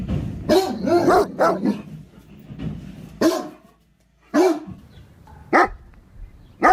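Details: Great Dane, or German Mastiff, barking in an uneven series: a cluster of rough woofs early, then isolated sharp barks separated by pauses of about a second.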